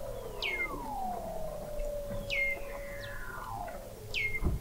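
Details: Weddell seals under thick sea ice in McMurdo Sound, Antarctica, recorded in November 2017 by an observatory 21 m below the ice: long descending whistles sliding into low steady tones, with sharp high downward chirps repeating about every two seconds.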